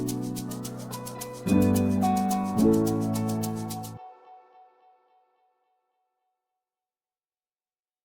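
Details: A short gentle music phrase of sustained tones plays for four seconds, then fades into silence with no animal sounds.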